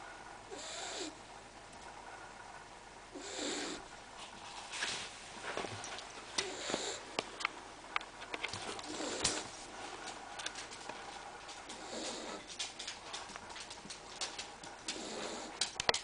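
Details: Pet dog Sandy, dozing with her head off the bed, snoring loudly in April 2009; breathy snores spaced a few seconds apart, mixed with scattered clicks and rustling noises throughout.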